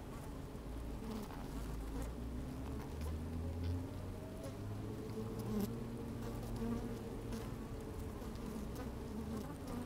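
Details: Honey bees busy at work in an open hive, recorded by a microphone lowered among them on a sunny day: dense, even droning buzz with occasional rising whines and soft tapping clicks.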